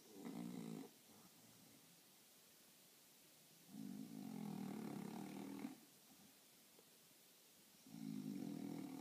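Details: Sleeping French Bulldog in a funny position snores in long, rumbling, nasal rasps lasting about two seconds each, separated by quiet pauses of roughly three seconds, in a small indoor room.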